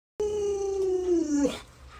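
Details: Pet Alaskan Malamute howling in protest as its owner pretends to kill fish for it; a single clear, steady howl gently falling in pitch over about 1.3 seconds, ending with a brief break.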